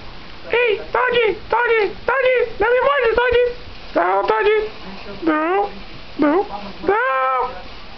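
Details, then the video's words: A schnauzer dog sings in a quick string of short, yelping howls, each swooping down then level, about ten in eight seconds. Some come in rapid pairs, with quiet indoor background between them. "schnauzer cantor ... dog singer"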